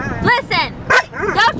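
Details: Pet dog, female, 'talking back' when in trouble and being scolded by her owner: a quick string of about four whiny, warbling, howl-like yowls that bend up and down, close and loud, with a woman's scolding voice around them.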